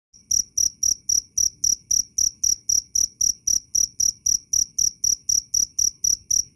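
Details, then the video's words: Cricket producing loud, clear chirps, evenly repeated about four times per second: short, high, pure pulses with a fainter overtone above, steady throughout against a quiet background. "Suara asli jangkrik Keras dan jernih"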